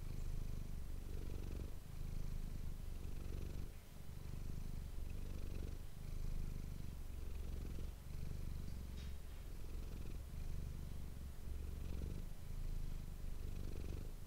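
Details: Manis, a domestic cat, purring close to an ASMR microphone: a deep, steady rumble pulsing in long cycles of roughly one and a half to two seconds, each inhale and exhale marked by a brief dip.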